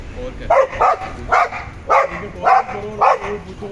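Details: Pet dogs, a German Shepherd and a Boxer, barking in a steady run of about five sharp, harsh barks, each a short double burst spaced roughly half a second apart, with faint low background hum.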